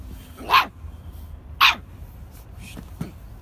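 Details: Copper, a male red tri toy Australian Shepherd, gives two sharp, bright barks about a second apart, then a softer yip near the end, over a steady low rumble.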